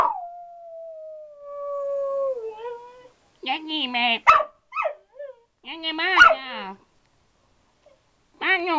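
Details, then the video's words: Pet dog holding a conversation with its owner; a long tone sliding slowly downward, then bursts of quavering, warbling yowls with trembling pitch, spaced by pauses. "Dog talks to his owner"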